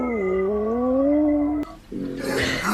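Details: Dog making odd noises likened to a horror film: a long, smooth, whining howl that slowly rises and then holds steady for about a second and a half. It breaks off into a brief rough, noisy burst.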